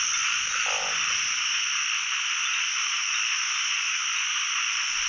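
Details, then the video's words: Narrow-mouthed frogs in full chorus across a pond during the year's first frog catch in Thailand. An unbroken shrill droning hum, with a brief lower croak early on. "จับอึ่งครั้งแรกของปี ร้องเต็มสระเลย"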